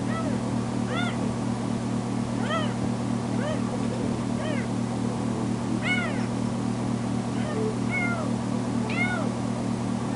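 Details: Female foster kitten, just back from being spayed, throwing a fit and meowing loudly when its carer leaves the bedroom: rapid run of about nine short, rising-falling meows, some squeakier and higher, with steady appliance hum beneath.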